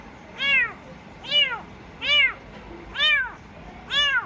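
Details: Rescue kitten giving five bright, high-pitched mews at a steady pace of roughly one every 0.8 seconds, each a quick rise-and-fall arch over quiet room background.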